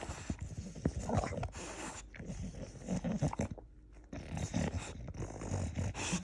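Deep, gravelly grunting and snuffling from an English Bulldog comes in uneven bursts, broken by heavy panting breaths. A person's voice can be heard briefly nearby.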